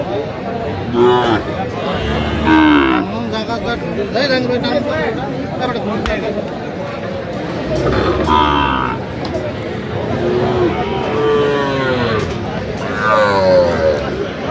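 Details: Sahiwal breed bull calves at a busy Kurigram cattle market in Bangladesh, January 20, 2026; several short, rising lows scattered across the stretch, some overlapping, amid constant human talk and market hubbub.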